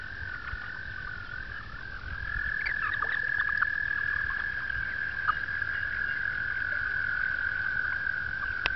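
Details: Frogs calling during the April 2009 mating season at a two-acre pond in upstate New York: a steady, unbroken high trill holds at one pitch for the whole stretch, growing louder partway through, with faint clicks and splashes beneath.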